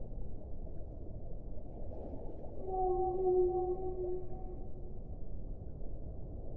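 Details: Whale song: a single steady, drawn-out moan with stacked overtones lasting about two seconds, rising out of a constant low underwater rumble.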